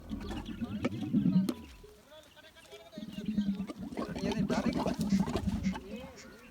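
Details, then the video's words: Camel in the desert, tongue out, making strange noises: a deep, rough, throbbing gurgle in a long burst, a pause near two seconds, then a second rumbling stretch with faint higher voices above. "Camel Making Strange Sounds With Tongue Out | Crazy Camel Noises in the Desert"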